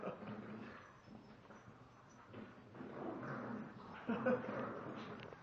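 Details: Tug of war between a 32 lb male Shiba Inu and a 23 lb female Chinese Pug; steady low growling with rough, rapid pulses and a short whiny yip near the end, human voice in the background.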